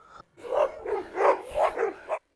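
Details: A young shepherd dog puppy barks during a confrontation in a farm enclosure in Malaysia, described as showing self-confidence; a rapid run of about five mid-pitched barks within two seconds, each short and rough.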